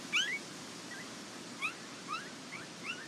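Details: Nell x Skeet Border Collie pups filmed at the International Peace Gardens in August 2018, giving a run of thin, high, upward-sliding squeaks, one strong cry then four softer ones spaced roughly half a second apart.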